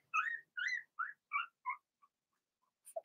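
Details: Blenheim Cavalier King Charles Spaniel puppies from Remy's first litter of six, born March 7–8, in a home puppy pen; five short high whines and squeals rise and fall in quick succession, then a pause and a few faint squeaks.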